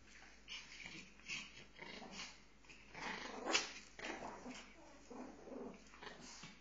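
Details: Pomeranians fighting, growling in bursts of noisy broadband snarls with short yips, rising and falling over several seconds.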